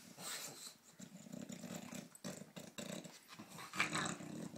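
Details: A British Bulldog named Phoebe play-fights with a cow in Australia: choppy, throaty growls and snorts in short rapid pulses, with a louder rasping burst near the end.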